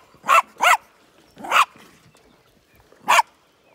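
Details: Sheepdog on a farm in County Kilkenny, Ireland, barking at stubborn sheep that want to eat the last of the nuts; four sharp barks, a quick pair then two single barks spaced over about three seconds, in a quiet setting.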